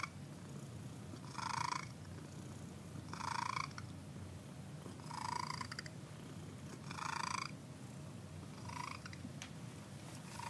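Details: A contented cat purring on a Sunday morning, a soft continuous low rumble with a breathy swell repeating about every two seconds.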